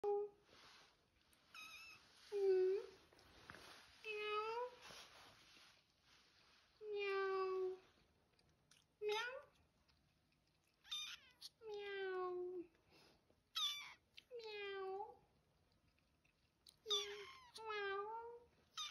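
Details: Kitten giving its first meows indoors: a long run of thin, bending meows, each rising then falling, some drawn out and wavering, coming in bursts with short quiet gaps between.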